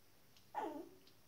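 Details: Shetland Sheepdog puppies, 19 days old: a single short squeal that slides down in pitch and fades, over a quiet background.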